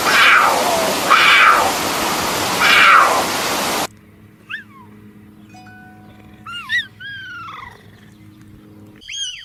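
Three loud, breathy, rasping calls from a puma come in quick succession, each hoarse and noisy. After a sudden cut, quieter whistled chirps follow, sliding up and down over a faint steady hum.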